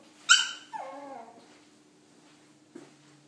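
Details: Shih Tzu puppy, afraid to get down the stairs indoors, gives a sharp high yelp followed by a short descending whine, then quiet with a faint thump near the end.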